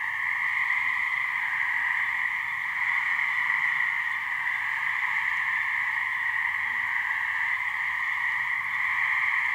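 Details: Gray treefrog (Hyla versicolor) mating call from a couple of frogs in a swamp in New Hampshire: a steady, unbroken trilling drone with two bright bands, one low and one higher, holding even loudness throughout.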